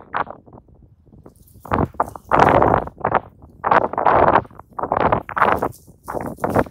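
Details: A pair of raccoon dogs fighting for real, hunched and poised to strike, trade dense, raspy snarls and growls in rapid, overlapping bursts that barely pause, some harsher and brighter than others.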